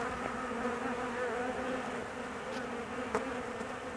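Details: Honey bee colony, nervous and anxious while its queen is away for about 45 minutes on her mating flight; a dense, steady droning hum with layered harmonic tones and a few faint clicks.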